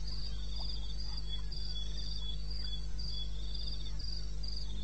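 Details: Crickets at 2:30 AM in eastern Botswana wilderness, 21 May 2016, giving evenly spaced high chirp bursts about twice per second, accompanied by a faint low hum and a few soft clicks.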